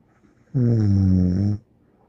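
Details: Bear the dog snoring in a small room: a single loud, buzzy, harmonic snore lasting about one second, rising out of near silence and stopping abruptly.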